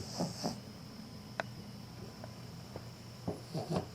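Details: A sleeping female Cavalier King Charles Spaniel gives soft, low snuffling snores in short bursts while unconsciously wagging her tail.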